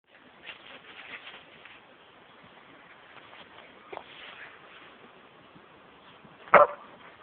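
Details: Samoyed named Remy, nearly four years old, at Chessel Bay, Bitterne Manor, Southampton, UK, recorded on a low-quality camera phone; faint muffled yips through the first seconds, then one sharp loud bark near the end over steady background hiss.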